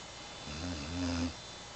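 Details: A Bloodhound snores once while napping, a low, rumbling drone lasting under a second.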